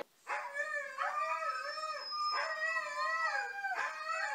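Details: Quieter, wavering howls from a Siberian Husky singing. Each tone bends up and down in short swoops, with fresh attacks about every one to one and a half seconds, over light background hiss.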